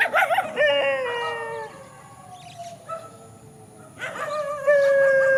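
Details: Dogs facing off in a countryside field: a yelping burst, then a long howl that slowly falls and fades, a quiet stretch, and a fresh steady howl rising again near the end.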